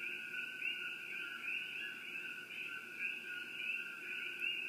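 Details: Coqui frogs at Shakti-Shiva Palace in a steady, dense chorus: overlapping high two-note chirps merge into a continuous shimmering whistle, with no pauses and a faint background hiss.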